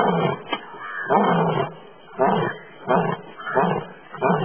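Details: An Asiatic lion (Panthera leo persica) roars while sleeping, giving a series of deep, rasping, grunting roars about once a second.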